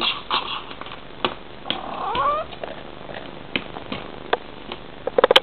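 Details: Bengal cat addressing her kitten with one rising, wavering trill in the middle, surrounded by scattered clicks, taps and a burst of sharp knocks at the end.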